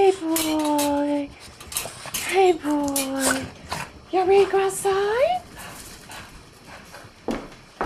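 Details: Boston Terriers, one of several kept together, called outside at lunchtime, give drawn-out, steady whining cries in two bursts, then a wavering, rising whine, while a woman speaks encouragingly to them indoors.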